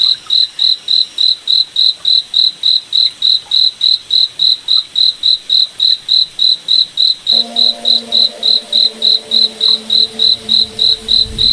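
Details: Cricket chirping at night in a moonlit forest: high, pure pulses repeated steadily about three and a half times per second, with a low steady hum joining in the second half.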